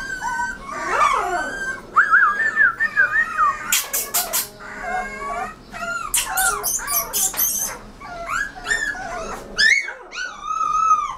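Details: Rottweiler puppy giving high, wavering whines that rise and fall, broken by sharp squealing yelps and short broadband bursts, the cries coming in quick uneven runs across the clip.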